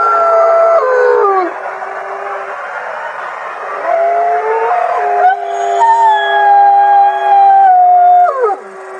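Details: Chorus of many gray wolves, captive at a conservation center in South Salem, NY, with long sustained overlapping howls, voices sliding down then rising and holding level tones before fading at the end.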